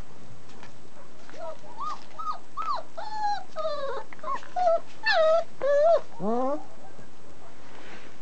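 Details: German Shepherd puppies aged 29 days, raised in a family setting, whine in a quick run of high, bending whimpers.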